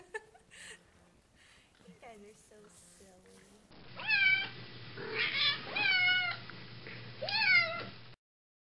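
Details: Barn cat on a care farm in southern Oregon, once fearful and now friendly, climbing onto sheep while being petted; several loud, drawn-out meows that rise then fall, with soft human speech just before.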